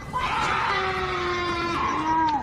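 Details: A cougar gives a long, shrill, wavering scream that slides downward at the end, much like a woman shrieking; its uploader says it is a mating call.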